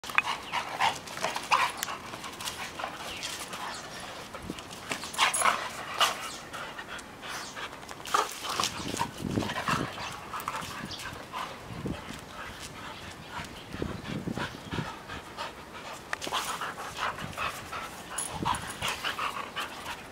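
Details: A Siberian Husky, found abandoned in Chonburi, Thailand, and recovering from emaciation and a blood parasite, pants heavily in quick, breathy bursts with a few soft vocal sounds.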